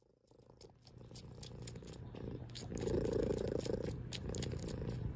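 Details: Loud cat purr starting soft and swelling into a rich pulsing rumble, the rhythmic breaths audible as steady waves, with light clicks and smacks scattered over the top.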